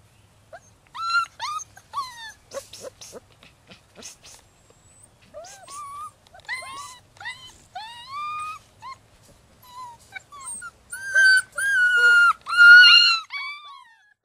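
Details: Six-week-old rescue puppies, Holly's litter of ten, yip and whimper in short rising and falling squeals, sparse at first, then building into loud, repeated, harmonic cries near the end.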